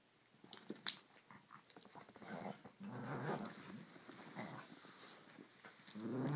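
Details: Two dogs, Shih Tzu Annie and miniature Schnauzer Waldo, play-fighting. A sustained low growl swells through the middle seconds and rises again at the end, with sharp clicks and tussling noises around it.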